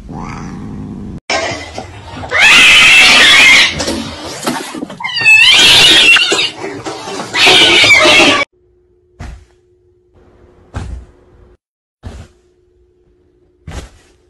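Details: Cat in a compilation of home cat and kitten moments: loud, harsh drawn-out yowls in three bursts over about seven seconds, with harmonic wavering cries between them. Quiet clicks and taps follow.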